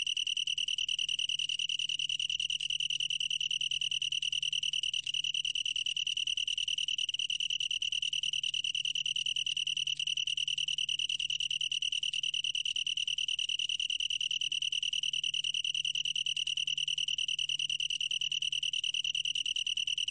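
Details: Long-tailed tree cricket song: an unbroken, shrill ringing trill held at one high pitch from start to finish, with a brief faint click midway.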